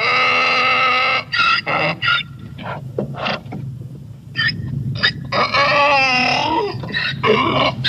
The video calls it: Real Donkey Sound I Sonido de Burro Real I Vrai Son d'âne